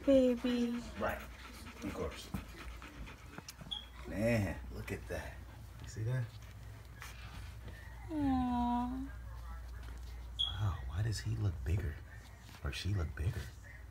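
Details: Newborn Siberian Husky puppies during the birth of a litter of eight: high, thin squeals and whimpers, some slurring downward, over the mother dog's panting and a person's soft encouraging voice.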